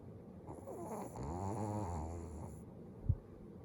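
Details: Dog asleep with its eyes open, snoring: a single drawn-out, low, buzzing breath lasting about two seconds, wavering slightly in pitch, then a soft click and faint hiss.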